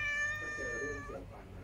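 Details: A hungry stray cat, not the household's own, comes by asking for food: one loud, drawn-out meow with a strong ringing tone that holds steady and then falls away after about a second, in a quiet indoor setting.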